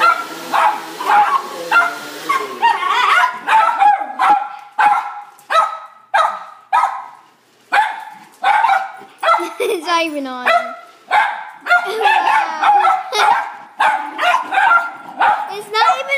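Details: Excited house dog barking while its owner cleans the carpet, a steady run of short sharp barks nearly two per second, mixed with a drawn-out whining sweep midway and a person's voice in the background.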